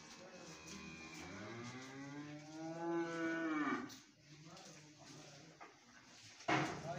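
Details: Dairy cattle on a farm in Swabi, with Friesian and Jersey heifers named: one long, loud, harmonic moo lasting about three and a half seconds, steady then falling at the end, followed by a sharp knock and faint background voices.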